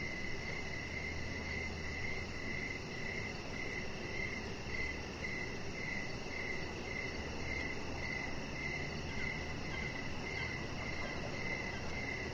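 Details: High, regular cricket chirps ring out in an evening backyard by a deck, evenly spaced and steady, with a faint low hum and hiss of outdoor ambience behind them.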